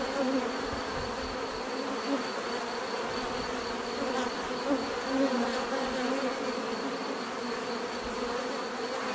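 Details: Bees give a natural, steady buzzing drone, dense and continuous with faint wavering hums layered together, plus a thin high whine running throughout.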